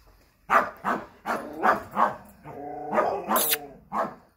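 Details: American Staffordshire Terrier giving a rapid run of about eight barks in under five seconds, the first ones sharp and evenly spaced, the later ones longer and more tonal, almost whining.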